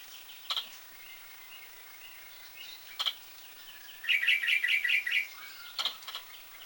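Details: Squirrel hiccuping: a few sharp, broadband clicks spaced seconds apart, then a quick run of about six bright, high chirps in roughly one second, with faint twittering and steady outdoor hiss behind.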